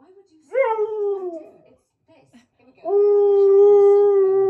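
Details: Keyush, a Siberian Husky, howling along with Queen's Flash: a short howl slides downward, and after a quiet gap a long, even, sustained howl holds one pitch.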